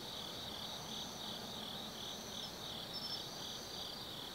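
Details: Autumn night in the Tsukimi Forest, Gifu, Japan: insects keep up an unbroken high-pitched ringing, rhythmic pulses in the upper band and brief thin chirps near the end, with soft background noise below.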